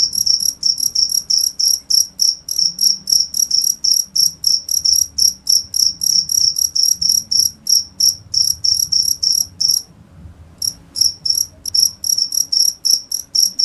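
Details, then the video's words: Continuous high-pitched cricket chirps, quick pulsed bursts around three per second, pausing briefly near ten seconds before resuming, against a faint low hum. "cricket sound"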